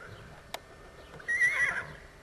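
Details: Short, bright whinny from JAS Benjamin, a half-Thoroughbred Appaloosa sport horse gelding born in 2008, rising and quavering for half a second after a single sharp knock.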